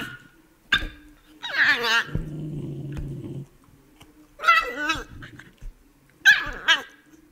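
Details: Beagle together with a Shiba Inu: three bursts of high, wavering yelping howls with layered harmonics, separated by a low, steady rumbling growl lasting about a second and a sharp single bark near the start.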